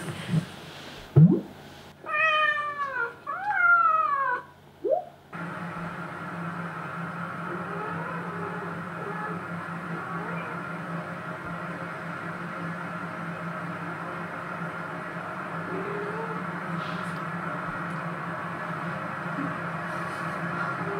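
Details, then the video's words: Short-legged Munchkin cat, said to be missing a former female companion, gives a run of rising-and-falling harmonic meows over about three seconds indoors, then a steady low room hum with no further calling. "전여친이 그리운 고양이 꼬부기"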